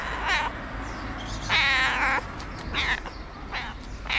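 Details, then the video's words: White feral cat meowing to ask for food: a long harmonic-rich meow near the middle with several shorter meows around it, over steady low outdoor background noise. "A White Cat With A Cute Meow Wants To Get Food."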